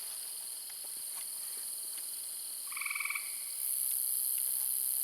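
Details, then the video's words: A tree frog, the loudest critter, gives one short, rapid pulsed trill over a steady high drone of insects in a forest-garden at fading twilight just before night; very loud, tree frogs being the most prolific there. "If you listen, you can hear a tree frog."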